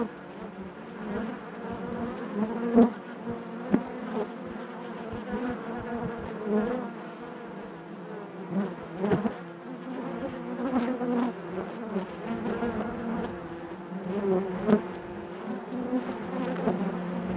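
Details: A crowd of honey bees buzzing within the hive, a sustained low drone with layered harmonics, punctuated by repeated brief louder surges and faint clicks as bees move close by, throughout the whole stretch.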